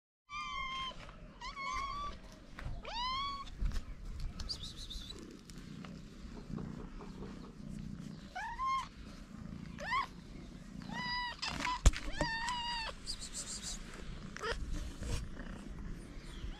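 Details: Hungry feral street cats climbing on a person, meowing repeatedly: many short harmonic meows, some rising then falling, coming from several cats in quick succession over low outdoor rumble and handling noise.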